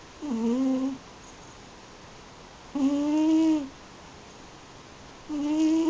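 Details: Yuzu, an eight-year-old Munchkin and American Shorthair mix cat, snoring while asleep indoors. Three steady, hummed nasal tones rich in overtones, each under a second and slightly rising at the start, return about every two and a half seconds in a quiet room.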